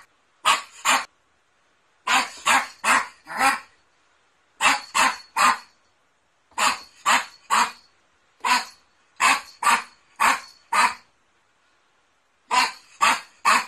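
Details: Poodle giving a steady series of short, sharp, high barks, mostly in clusters of two to four with brief pauses, about thirty barks in all, over a silent background.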